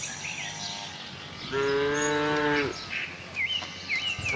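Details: Tame cattle herd roaming a farm looking for fresh grass: one steady, harmonic-rich moo lasting about a second, with chirping birds calling before and after.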